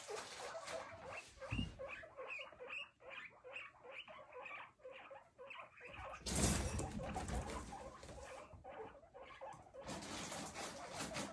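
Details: Several guinea pigs exploring a large ground enclosure with hiding huts, hay and fleece flooring, giving many short, high squeaks in rapid irregular series, with rustling and pattering of movement and a burst of scuffling noise midway.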